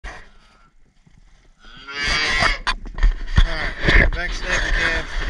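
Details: Red Angus cattle, cows and calves being worked and tagged in a pen; after a quiet start, a loud, harmonic moo with a bending pitch rises at about two seconds. A man's speech and handling clatter overlap it.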